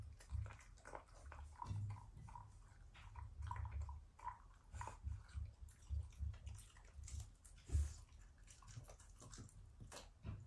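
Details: Affectionate growls from a Shiba Inu family pet during its morning routine, not a sign of anger: deep, throaty bursts in a pulsing series, rising and falling in loudness, with light tapping and rustle in a small room.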